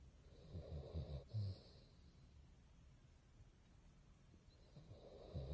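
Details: Snoring from Bongyi, a Basset hound deep in sleep: a gravelly, low-pitched snore of several rough pulses, then a quiet gap before the next breath begins.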